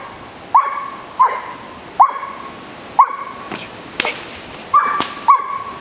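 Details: Blackmoore Giant Schnauzer barking: about eight short, sharp, ringing barks spaced roughly every 0.7 seconds, each with a bright tonal core, separated by brief quiet gaps and a couple of faint clicks near the middle.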